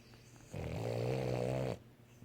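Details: A male Boston Terrier snoring as he falls asleep gives a single low, rattling snore lasting about a second.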